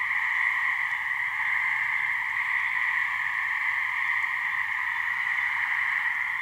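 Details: Gray treefrogs, a pair calling for mates in a swamp in New Hampshire, give an unbroken, evenly pitched trilled drone that runs steadily with no gaps or changes.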